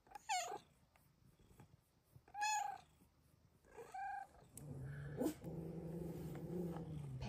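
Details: Pet female cat Luna gives three short, bright, downward-sliding meows over four seconds, then a person's soft spoken voice follows in a quiet room.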